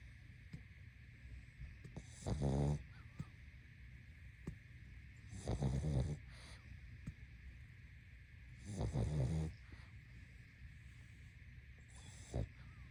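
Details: Pug asleep and snoring steadily, four gravelly low snores roughly every three seconds, each with a buzzy rattle, separated by quiet breaths over a constant soft background hum.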